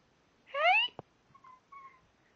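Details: Milo, a pet cat, talking to its owners indoors: one short, bright meow that rises then dips, under half a second long, followed by a sharp click and faint thin tones.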